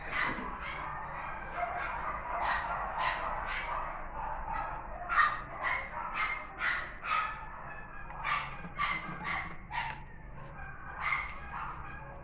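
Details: Female West Highland White Terrier giving a dense, uneven stream of sharp high yips and barks, roughly two per second, with some overlapping, over a constant low background hum.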